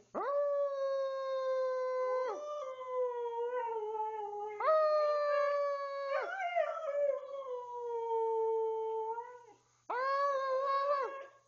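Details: Twelve-year-old Siberian Husky Tuscany howling indoors in the family room: three long, clear howls, each starting with a sharp rise, holding level, then sagging slightly in pitch, with warbling breaks between them.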